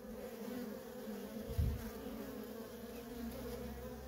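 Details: Feral colony of honey bees with workers coming and going: an even, droning hum of many wings, a short louder thump midway, then the steady buzz carries on.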